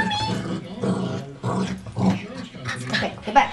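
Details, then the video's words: A 3-year-old Pomeranian, excited while playing, growls back "come on" as a trained trick indoors; low, voiced, word-like growling phrases with a person repeatedly speaking over it. "the talking pomeranian"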